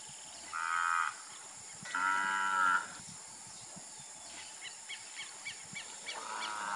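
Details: Moos from Nelore beef cattle on a Brazilian ranch: a short lowing call, then a longer one a second later, and a third starting near the end. Quick bird chirps come between them, over steady background hiss.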